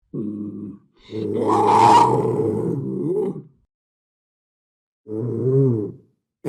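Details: Panther growling and roaring: a brief low growl, then a long, loud, rough roar that peaks harshly before fading, and after a pause a shorter wavering growl.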